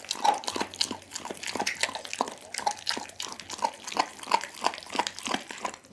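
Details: Pit bull Dougie chewing a whole raw chicken, steady rhythmic wet chomps roughly three per second, each a short crunchy smack, filmed close up.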